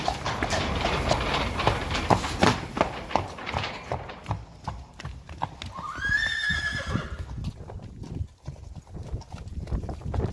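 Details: Friesian horse, one of a pair driven in harness and urged to go faster: quick, steady clip-clop of hooves throughout, broken midway by a loud whinny, a harmonic-rich cry sliding downward for about a second, then more hoofbeats.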